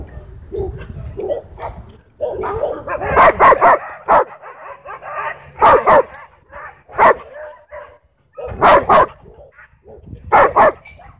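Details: Harsh, rough barks from an angry dog at a dog park, given in clusters of two or three with short gaps and a noisy rasping stretch between them.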